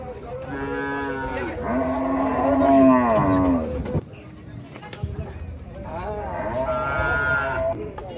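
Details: Gaiya cow on a cattle farm giving long, loud moos with rich stacked harmonics, one drawn-out bellow rising then falling over about two and a half seconds, a second moo near the end, some farm noise between.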